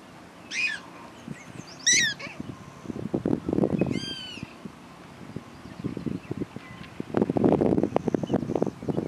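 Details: Prairie dogs give a few sharp, harmonic chirps spaced about a second apart, one with a rising-falling sweep, over low rumbling and scuffing noise nearby.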